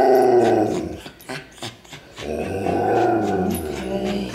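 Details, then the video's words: Puppies waiting for dinner: a dog makes low, rumbling growls and grumbling vocal sounds in two stretches with a brief quieter gap between, close to the recorder. "Dinnertime for the Puppies"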